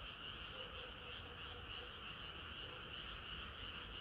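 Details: Frogs singing in chorus on a hot summer night: dense overlapping croaks with a steady high trilling band, pulsing rapidly about three times a second, continuous with no pauses.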